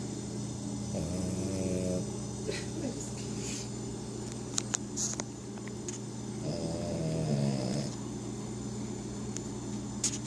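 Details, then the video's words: A Pekingese snores after a long day at the groomer, slow, rattling breaths, each a rough, buzzy drawn-out rumble. "Pekingese snoring(3)"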